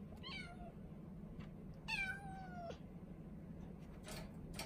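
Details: A four-month-old female Norwegian Forest Cat kitten, kept indoors in a cage, meows affectionately as if pleading to be let out: two drawn-out meows, the second longer and sliding downward in pitch, over a low steady hum.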